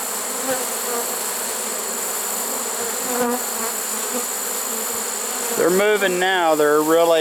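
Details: Honey bees of a late-season swarm caught in a trap, September 1, 2019, humming steadily, then a loud, close buzzing flight with rising and falling pitch swells in the last seconds.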